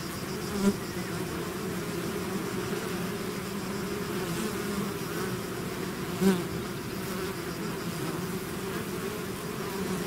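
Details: Swarm of bees emerging from the hive: a constant thick buzzing drone, with two louder near passes at about one second and six seconds as single bees fly close.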